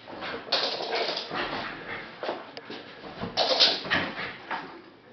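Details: A Jack Russell Terrier bitch watches the postman leave down the road and gives a run of sharp, uneven barks mixed with high whining yelps.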